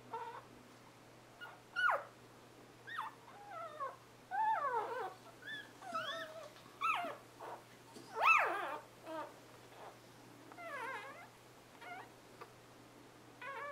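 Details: Newborn Scottish Terrier puppies, litter arrived 11/11/2010, give thin squealing whimpers: short rising and falling whines and chirps, scattered irregularly with brief quiet gaps, several pups overlapping at times, over a steady low hum.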